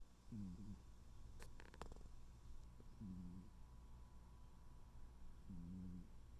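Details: A sleeping tuxedo cat snoring softly: three low, rumbling breaths at roughly 0.5, 3 and 5.7 seconds, each short and buzzy, with a brief rustle near the second second and a quiet steady background hum.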